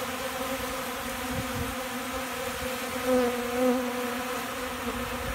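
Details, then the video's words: Hungry honey bees eating from a hand in Central Alabama, windy before storms; even low hum with overtones, rising slightly in loudness past the third second, soft wind buffeting underneath. "Hungry Bees"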